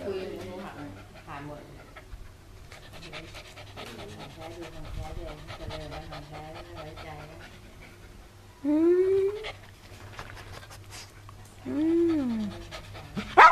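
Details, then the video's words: Pet dog Chai Si at home in Chonburi, Thailand, on 22 May 2012, 'talking' to a returning family member it had not seen in nearly two years. Quiet panting and murmured speech, then two loud rising-and-falling whines near the end. "Sassy miss us ,Let's he talk น้องหมา-ชายสี่พูดได้"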